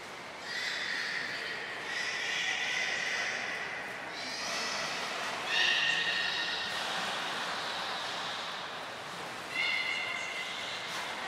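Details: Belugas Gray, Nana and Niko during a training session at Port of Nagoya Public Aquarium on 30 May 2021: several high, steady whistles with stacked harmonics over a constant watery hiss, the last one short and bright.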